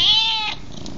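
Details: A cat gives one loud, clear meow, bright and harmonic, holding steady and then dropping away within half a second, with only faint background noise after.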